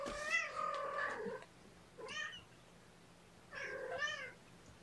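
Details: Morning formula feeding of several kittens by syringe, 8 May 2018; three drawn-out, wavering mews, the first long and steady, later ones shorter and arching, with a quiet pause between.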